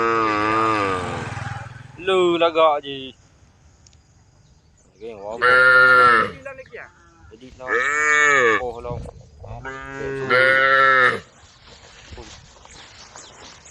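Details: Calls of tame female cows answering a herd of angry cows: five separate lowing moos, each with a rising then falling pitch, spaced a few seconds apart with quiet gaps between.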